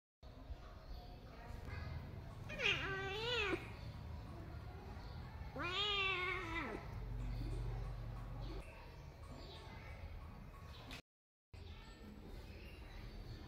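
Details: A cat gives two drawn-out meows, each rising then falling in pitch with rich harmonics, the second longer and ending in a low note; a steady low hum stays underneath, and a brief silence comes near the end.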